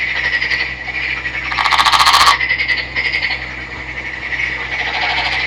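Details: Male Nagoya Daruma pond frog, green, river-caught and captive, giving a steady creaky trill with one loud grating rattle burst near the middle, the calling continuing afterward.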